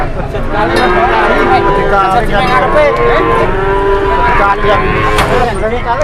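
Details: Cattle at a crowded market, one fat cow lying down and refusing to rise: drawn-out, low moaning moos from several animals overlap continuously against a din of people and engines.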